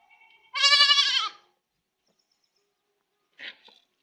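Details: A goat kid (Capra hircus) cries with a high, quavering bleat, then gives a brief, fainter one a couple of seconds later.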